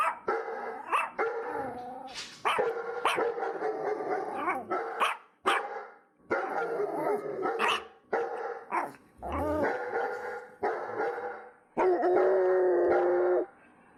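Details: Dogs barking in a busy, continuous chorus, many overlapping barks with harmonic, slightly whining tones and brief pauses between bursts, ending in a long, held, nasal bark.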